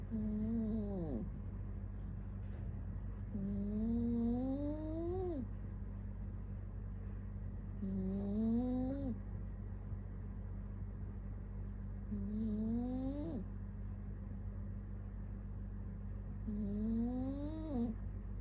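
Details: Sleeping cat snoring in a slow, steady rhythm. Each breath carries a rising, buzzy tone that climbs and then drops sharply, spaced roughly four seconds apart, with a soft airy hiss and a steady low hum underneath.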